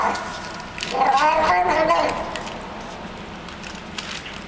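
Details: Hungry street cat that hangs out in a building's garage basement, making its odd 'happiness' noises while eating the food it is given: a wavering, tonal moan of about a second with clear harmonics, among soft chewing clicks and background hum.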